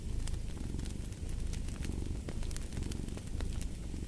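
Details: Low continuous purring from a cat under frequent crackling fireplace pops, the rumble pulsing softly and evenly throughout.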